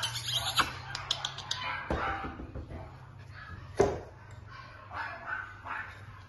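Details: Male Cockapoo puppy giving short, sharp yelps and squeaks scattered among clicks and knocks, with a steady low hum underneath.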